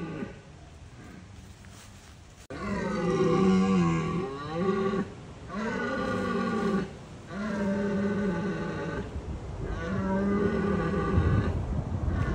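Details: Red deer stag roaring during the rut in Bushy Park to deter rival stags; after a quiet start, four sustained deep roars of about two seconds each follow one another with short gaps.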